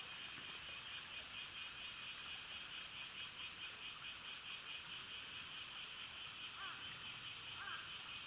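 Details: Cicadas droning in a continuous, dense, buzzing hiss that stays level throughout, with a couple of faint chirps near the end.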